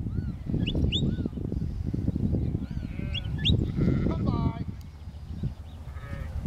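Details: Sheep in a field being herded by Border collie Lars, a working sheepdog, with a lamb among them: several short wavering bleats rise and fall, rich and nasal, over rumbling wind and low field noise, with brief voices and squeaky bird notes.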